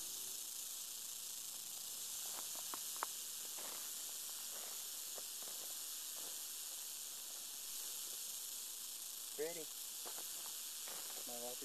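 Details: Captive young western diamondback rattlesnake, a yearling, buzzing its rattle steadily. The sound is an unbroken sizzling hiss high in pitch. A few light taps occur, and a man's voice speaks briefly near the end.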